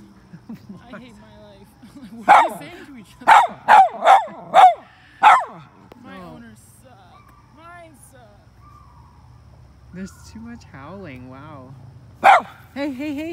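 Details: A miniature red poodle lets out a run of sharp, yipping barks that shift into wavering, howl-like cries aimed at other dogs.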